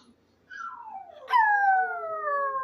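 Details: Maltese dog named Benji howling: a soft wavering note slides down, then a loud, clear harmonic wail breaks in and glides slowly lower, sustained for over a second.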